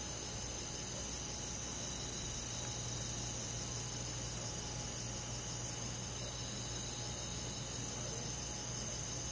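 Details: A steady summer-night chorus of crickets in a countryside forest, thin high trills blending into a continuous shimmering hiss.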